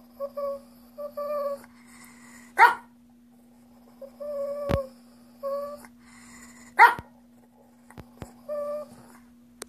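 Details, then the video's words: Shih Tzu begging for dog treats, making odd alien-like noises until given one: short steady whining tones in paired bursts, broken by sharp yips and a few clicks, over a constant low hum. "Alien Shih Tzu Wants Treats"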